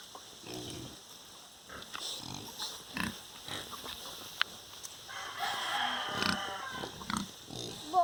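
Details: Pigs on a farm grunt in short, rough bursts, with higher squeals from young piglets mixed in.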